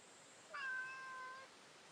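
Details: Female cat met in the street during a daytime walk lets out one sustained, steady meow lasting about a second, close and clear over a soft hiss.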